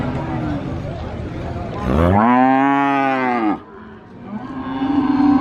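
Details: Cow at the Sokaraja cattle market in Purwokerto, Banyumas, giving one loud, deep, harmonically rich moo lasting under two seconds, rising then falling, over a busy background of crowd noise and murmuring.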